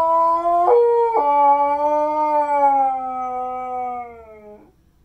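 A Siberian Husky howls in reply to sirens, a rich, tonal voice that jumps up in two quick steps. It then holds a long wavering note that sinks gradually before breaking off.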